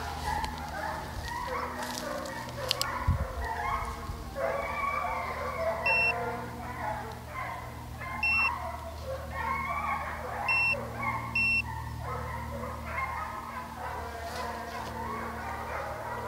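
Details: Hounds running deer on a South Carolina hunt near St Helena, a thick chorus of bawling voices heard alongside a man talking, a low vehicle hum and repeated paired electronic beeps.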